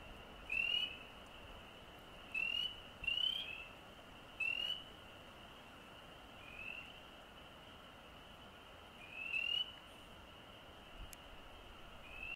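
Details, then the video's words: Frog calls recorded on the Osgoode Link Pathway: about seven clear, high, rising peeps spaced irregularly one to three seconds apart, set against a constant faint high-pitched chorus of other frogs. "Frog Calls"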